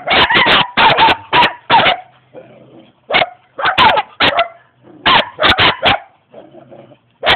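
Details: A young German Shepherd in Jamaica barks in rapid bursts of three to five loud, harsh barks, each burst separated by short pauses with low background murmur.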